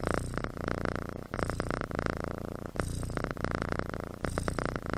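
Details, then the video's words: Kitten asleep and snoring, each breath a rapid buzzing rattle lasting about a second, repeated in steady cycles with short quiet gaps. "Snoring Kitten"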